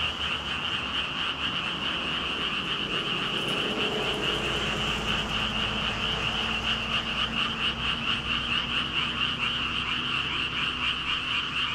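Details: Thousands of frogs calling at once, a steady high trilling chorus of rapid repeated croaks, with a few lower drawn-out tones rising briefly through the middle.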